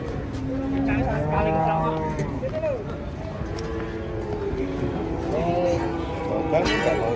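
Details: Cattle being unloaded from a truck: overlapping harmonic lowing calls, some rising and falling in bending arcs, repeated through the clip over a steady background hum with faint voices.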